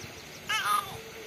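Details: A cat, described as a new friend, gives one short meow lasting about a third of a second, a harmonic sound that falls slightly in pitch, over quiet room background.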